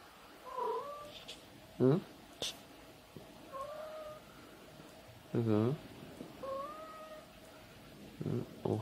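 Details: Pet cat trading Japanese-style "ohayo" good-morning calls with a person: three clear, rising, tonal meows spaced about three seconds apart, each answered by a deeper human "ohayo" in a quiet room.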